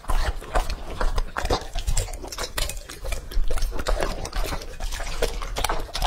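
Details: Lucky, a male English Labrador Retriever aged two and a half, feeding on raw meat: dense, rapid, moist chewing and slurping clicks in quick bursts, with heavy low-frequency thuds throughout.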